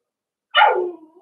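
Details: A single sharp puppy yelp from a Cavalier King Charles Spaniel pup at play in an indoor pen, bright at first and then sliding down into a fading, whiny tail.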